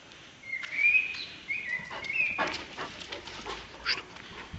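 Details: A one-year-one-month-old Caucasian Shepherd Dog in Azerbaijan gives thin, high whimpers that slide and waver in pitch.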